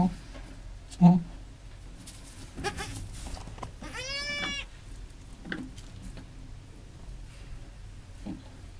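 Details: Goat family, a mother just after giving birth with her newborn kids, indoors; one clear wavering mid-pitched bleat of under a second, rich in overtones, amid soft low grunts, rustling and a woman's quiet voice.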